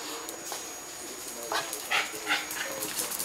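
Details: Cairn Terrier pet dog after a bath, giving a few short, high whimpering squeaks about a third of a second apart in the second half, over rustling and shuffling noise with a steady high background hum.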